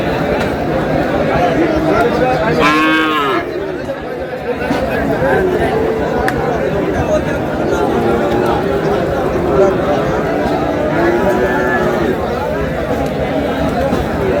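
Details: Sahiwal bull calves at a busy cattle market where Noakhali farmers bargain, 27 April: a loud harmonic moo swells and falls near three seconds, a fainter lowing follows later, all over dense crowd chatter and men's voices.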